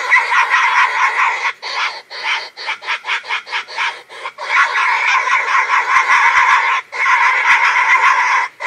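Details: Wild boar in rut, giving a mating call: loud, harsh, rasping grunts run together in rapid pulsing bursts, about two or three per second, broken by a few short pauses, with no other sounds heard.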